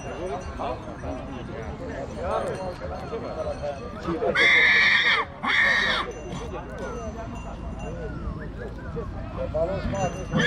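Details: Two-year-old stallion colt at Dăneștii Chioarului, Maramureș, Romania, giving two loud, harsh, breathy bursts in quick succession, each about a second long, while people talk around it throughout.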